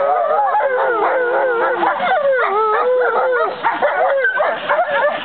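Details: American wolfdogs Aiyana, Juma, Akani, Shadow and Lupo, siblings and half-siblings, howling together on 5 November 2011; many overlapping wavering howls rise and fall in a dense chorus, voices weaving over and under one another throughout.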